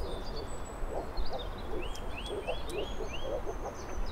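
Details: Moor frog (Rana arvalis) calls: soft, low bubbling hoots in quick overlapping series, with short upslurred chirps and thin whistles of small birds above them throughout.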